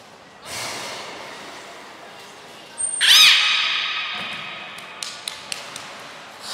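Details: At Port of Nagoya Public Aquarium, Japan, on 7 June 2022, belugas Gray, Nana and Mirai train: a loud rush of water-like noise, then a quick wavering whistle and fainter sustained tones, ending with light clicks.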